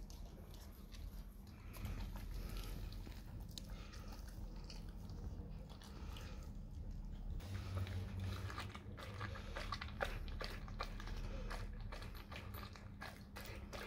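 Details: Wet, rapid mastication from a dog working on raw cow tongue in a small room: dense, uneven crunches and smacks, growing sharper and more frequent in the second half, above a constant low background hum.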